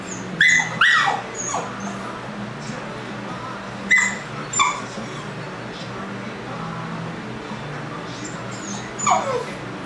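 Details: Puppy left alone for the first time, howling in distress: several short, high, wavering cries and yelps, a few falling in pitch, separated by pauses over a steady low background hum.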